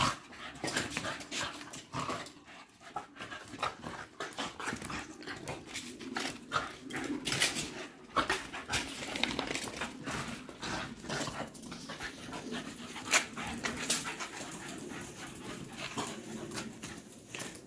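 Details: Fit Patterdale black fell terriers, sporting hunting dogs named Estacado and Obscura, after chasing during a hunt: rapid, rasping breaths repeated as dense broadband bursts throughout, with rustling and occasional louder huffs.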